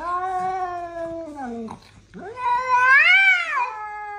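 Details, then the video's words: Fighting cats trade a long, steady, slowly falling yowl, then a brief pause and a second wail that rises, bends upward and drops away, tense and drawn out. "cat fight"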